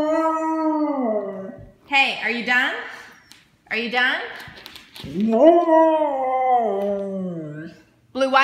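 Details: A Siberian Husky talking and yelling back while being told off indoors: long, wavering, harmonic howl-like vocalisations that rise and fall, broken by short yelping bursts. A person's scolding voice is heard alongside.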